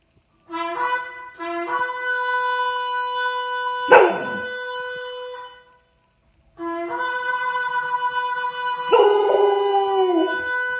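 A Chow Chow howls in long, drawn-out, tuneful notes that waver slightly in pitch.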